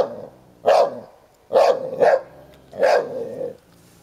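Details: Playful tussle over a toy between Sherlock, a ten-year-old Hovawart, and Heini, a one-year-old American Staffordshire Terrier; three loud barks, the middle one doubled, with a low rumbling undertone.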